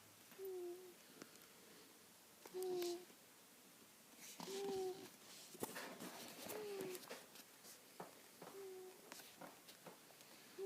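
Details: Black cat named Karma asleep and snoring indoors; soft nasal tones recur about every two seconds, each a short slightly falling whine, with a woman's voice calling her name and faint room noise between breaths.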